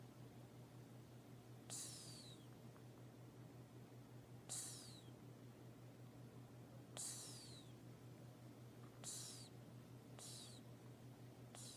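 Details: Sleeping cat snoring, each breath a short hissy burst with a high whistle sliding downward, repeating roughly every two to three seconds over a steady low hum.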